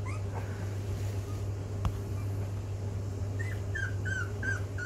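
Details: Rhodesian Ridgeback pups at 16 days old, learning to walk, give a thin squeal at first, then after a single sharp tap a quick series of high, bent whimpers in the last second and a half, all over a low electrical hum.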